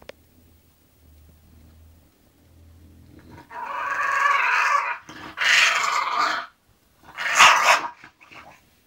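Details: Going to sleep, the English bulldog Zenuś makes three rough, grumbling groans in a row, each about a second long and separated by brief pauses. A low hum is heard beforehand.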